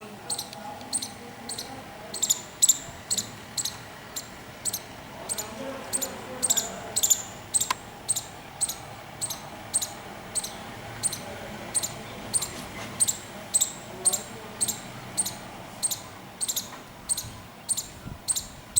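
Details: Squirrel giving a clicking alarm: sharp, high, dry clicks repeated steadily about every half second for the whole stretch over a faint low background hum.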